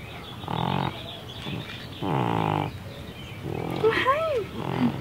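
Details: Baby, a deaf female cat with neurological and breathing problems, snorting like a pig while awake: two drawn-out, rasping harmonic snorts about a second apart, then softer wavering tones near the end.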